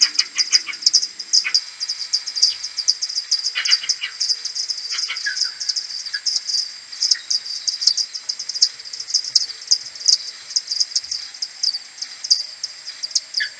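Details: Common pipistrelle maternity colony returning to its roost in the morning on 21 May, recorded on an AudioMoth 1.1 and slowed ten times: a dense stream of rapid high chirping pulses, with scattered lower downward-sweeping calls.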